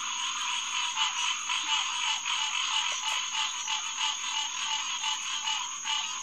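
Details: A pond full of green tree frogs calling together after dark on June 2, 2021, at SMNWR Headquarters Pond; a thick unbroken chorus of rapid honking notes swelling and fading slightly over six seconds.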